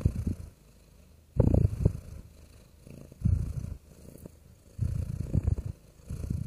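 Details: A real domestic cat purrs: a deep, rumbling low purr coming in bursts about every one and a half seconds, with quiet pauses between breaths.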